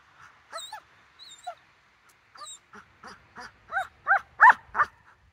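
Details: Rottweiler in training, September 4, 2022, eager just before being sent: a run of high yips that quicken and grow louder into clustered barks, about three per second near the end, over near silence.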